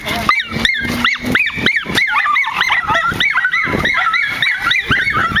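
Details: Pack of nine-month-old miniature schnauzers barking in a park: rapid, overlapping high yappy barks, several per second, continuing throughout without pause.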